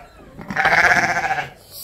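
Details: Sheep in a pen on a homestead farm in winter before being moved out with the flock; one loud, quavering, pulsing bleat lasting about a second.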